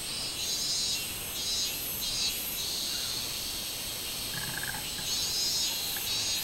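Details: Minmin cicada in full summer song on 24 July 2016, intense shrill buzzing bursts pulsing about every half second to second, with a short faint chirp partway through.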